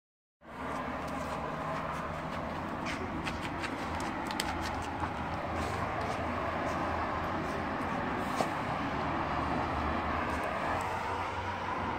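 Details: A continuous low rumble like a passing train or road traffic runs throughout, with faint clicks and knocks. No animal call stands out above the mechanical noise.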